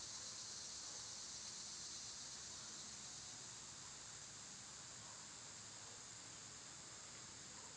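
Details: In summer, cicadas produce a dense, high, rasping hiss with a fast even pulse. It is strongest at the start and eases slightly later, over a quiet low background.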